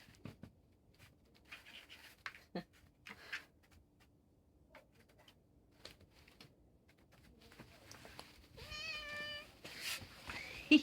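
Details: Catnip-excited vegan cat at Pulford, Chester, England, pushes an Aldi cat toy around with rattling and clicking, then gives a single level, tonal meow near the end, with a woman's voice nearby.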